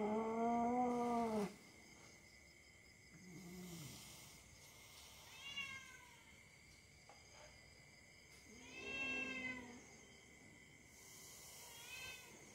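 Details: Domestic cat play-fighting with a young dog: a loud, drawn-out harmonic yowl in the first second and a half, then softer wavering cries and a bending whine near nine seconds, over a steady background hum.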